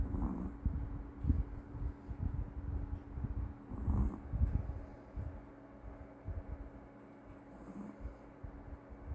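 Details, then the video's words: Meoteol, a rescued Maltese dog, snoring in its sleep: low, rough rumbling breaths pulse steadily, with a few brief faint hisses above and a constant low hum in the room. "말티즈 코골이"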